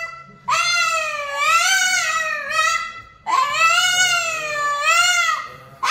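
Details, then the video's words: A Boston terrier known for being very vocal sings in two long, wavering howls. Each swells and dips in pitch, with a short gap between them and a third howl starting right at the end. "Singing Boston Terrier"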